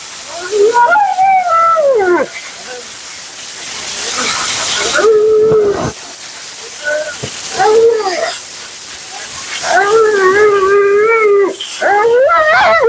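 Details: Mila, a talkative female Siberian Husky at her second-ever grooming, bath and blowout, gives drawn-out, wavering, yodel-like moans that rise and fall, broken by short pauses, over a steady rushing hiss of water or dryer.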